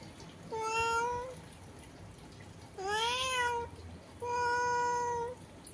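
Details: House cat talking through a window with a cat outdoors; three clear meows, the middle one arching up and down, the last long and steady, quiet room behind.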